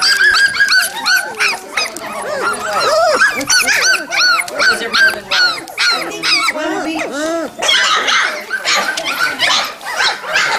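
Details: Red Royal Standards near Columbia Falls, Montana, 22 November 2013: Standard Poodle puppies from litters of eleven and ten give rapid, overlapping high whines and short yelps. Gentle human chatter sits underneath.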